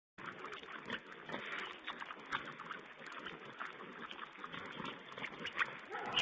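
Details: Wild boar piglets feeding, filmed by a wild pig webcam on 16 April 2010: a dense, continuous chatter of high squeals and whines, with a few louder sharp cries near the end, over a thin, band-limited hiss.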